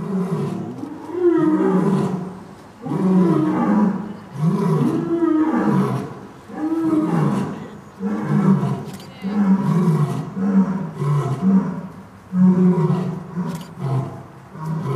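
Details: Lions, the parents of three young cubs, at Dortmund Zoo in Germany in autumn 2009, giving a short roaring concert: deep, loud roars in long swelling bursts, one after another over fifteen seconds, with overlapping voices and faint visitor chatter behind.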